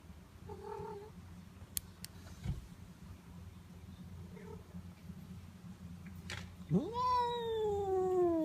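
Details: Pet cat Notail sounds off during petting: two soft short chirps, then a long loud meow that rises sharply and slides slowly downward with rich harmonics, over a constant low electrical hum.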